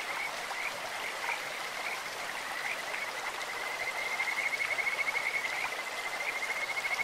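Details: Kajika frogs in a clear stream: soft scattered chirps build into a strong, quick, evenly pulsed high trill from four seconds to the end, over a constant wash of flowing water.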